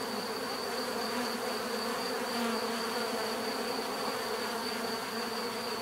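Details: [['Bees buzzing continuously, a thick even hum of overlapping wingbeat tones with a steady high thin line above, no other sounds standing out.']]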